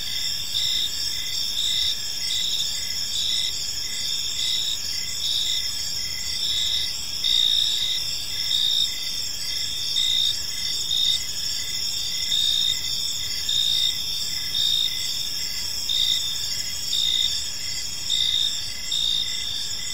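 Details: Evening park ambience of crickets, high bright chirps pulsing in short regular bursts over a constant ringing insect drone, with faint low rumble underneath.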